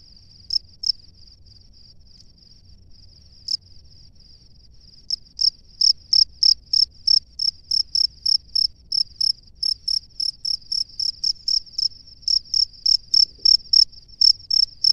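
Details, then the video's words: Male cricket calling to a female from its nest: a few scattered high chirps at first, then a steady run of sharp, pulsing chirps about three per second that grows louder toward the end, over a faint low rumble. "SUARA JANGKRIK JANTAN DI SARANGNYA MEMANGGIL JANGKRIK BETINA"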